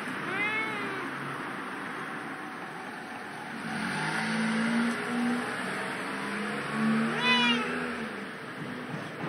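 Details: A cat, on this day somewhere other than its usual place, lets out two harmonic meows several seconds apart, one at the start and one near the end, over continuous vehicle hum and road noise.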